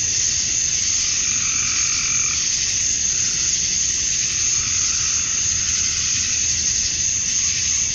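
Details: Summer dusk chorus of male cicadas in Georgia, USA, singing to draw females: a continuous shrill, hissing drone, with softer lower trilling waves swelling and fading in the background.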